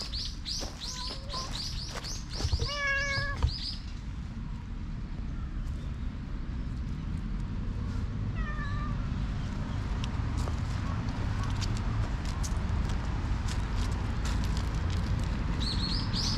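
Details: Black stray cat tickled all over its body, filmed outdoors on a GoPro HERO8. One short harmonic meow, with bird chirps before and after it, over steady low rumbling background noise.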